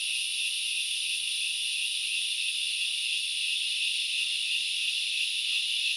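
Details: Grasshoppers recorded in Knuckles Reserve, Central Highlands of Sri Lanka, forest setting: a steady, unbroken high-pitched hissing drone with two shrill bands, holding constant loudness throughout with no pauses or other clear sounds.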